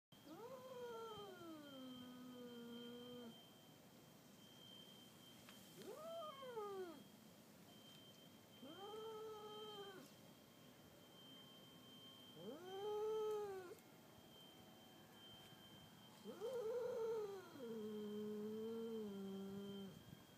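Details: Stray Aegean cat roaring during a stare-down with a one-year-old Weimaraner: five drawn-out, wavering yowls that rise then fall, each about one to three seconds long, separated by short pauses, with a steady faint electrical whine behind.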